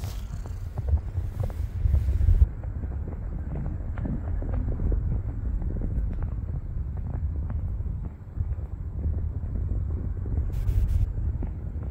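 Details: Low wind rumble and passing vehicle noise fill the recording, with scattered clicks and no animal voice.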